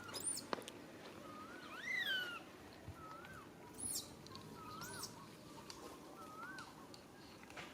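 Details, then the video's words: Infant monkey RAIN calls its mother RANY for help. A series of short arched whimpers comes roughly once a second after a loud early squeal, with a quiet, rustling background. "Po-or baby monkey RAIN calling mom RANY to helps but can't."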